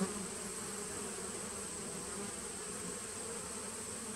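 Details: Honey bees in a nucleus colony started in 2017, recorded 19 September 2018, giving an unbroken low hum that stays even in loudness, layered over a faint high steady whine.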